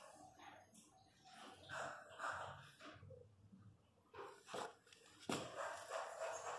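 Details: Pinscher dog during the natural birth of a litter of puppies, indoors: irregular short broadband whimpers and breathy bursts, a louder burst near the end, mixed with a man speaking softly nearby.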